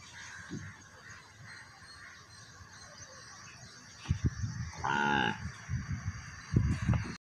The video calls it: calf her mother searching with sounds